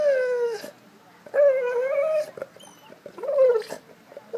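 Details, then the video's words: Piper, a Golden Retriever wanting a ball in the pool, gives three drawn-out whines, each slightly wavering then sliding down, separated by brief pauses with quiet background. "Golden Retriever wants ball in pool"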